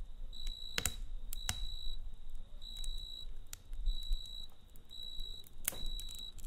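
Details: Night-time cricket chirping in clear, shrill pulses lasting roughly half a second, repeated with brief pauses; loud snapping crackles of a campfire break in several times over a soft low background rumble.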